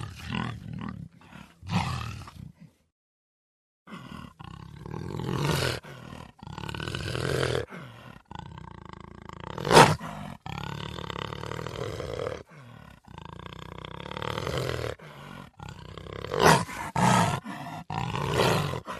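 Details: Puma vocalizing in a series of deep, rough, drawn-out harmonic calls separated by short pauses, some bursts harsher and louder, with brief silent gaps between sections.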